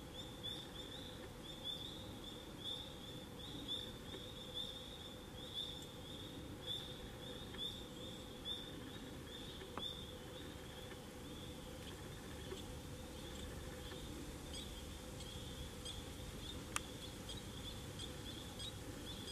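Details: Tree frogs sing among fall foliage on October 25, 2021, a thin, high, pulsing trill that runs on without pause.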